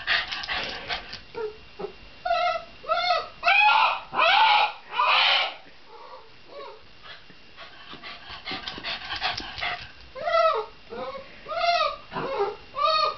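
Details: Shiba Inu vocalizing in a mix of harsh, noisy yelping bursts and clear arched whines, the calls coming in quick uneven runs with a brief lull midway before the whining resumes.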